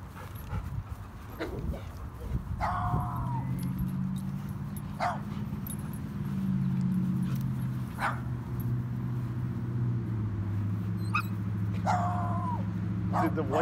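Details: Solomon, a Belgian Malinois mix, out at the dog park: a few sharp, rising yelps with strong overtones near the start and again near the end, scattered clicks between, over a steady low engine-like hum.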